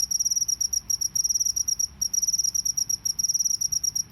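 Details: Continuous "ngebren" trilling from a field cricket outdoors: dense rows of sharp, high-pitched pulses grouped into quick chirping bursts, nearly unbroken, over soft low rumble.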